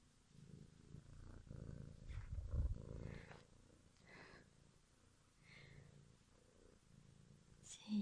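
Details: Purring kitten, one of four born to a household cat family in February 2017, low continuous rumble loudest in the first three seconds, with soft human murmuring over it and a brief bump at the end.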